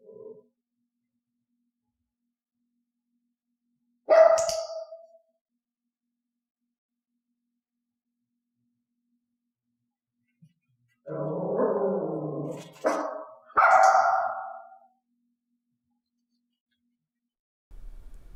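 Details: Elaine the dog, in a clicker training session teaching barking only on a hand-gesture cue, gives one short sharp bark, then after a long quiet a rougher lower sound runs into two more abrupt barks.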